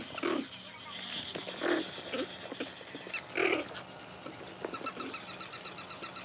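A Pomeranian gives a few short, sharp yaps spaced over several seconds.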